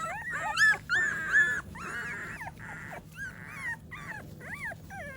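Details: Several American Pit Bull Terrier puppies, fed and being wiped clean on a morning routine, whine continuously in bent, wavering whimpers and short yips, overlapping calls tumbling over one another for five seconds.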